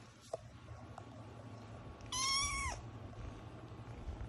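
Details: Eight-week-old kitten giving one of its first meows: a single short, bright, slightly rising then falling meow lasting about half a second, with faint background hum and a couple of soft clicks before it.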